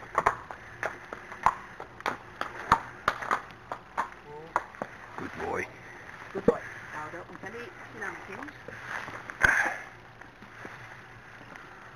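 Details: People talking outdoors with sharp clicks and knocks, possibly hoofbeats or tack, and a faint low hum; no animal vocalisation stands out.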